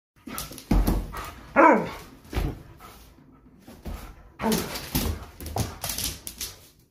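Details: Alaskan Malamute tearing around with the zoomies. Loud, irregular deep barks and woofs come roughly once a second, one rising into a yelp, with scuffling and thumping from running in between.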